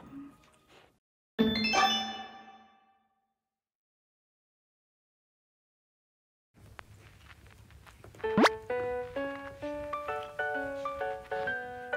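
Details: Playful plucked music and a sliding whistle effect follow a short silent gap, with no animal sound heard.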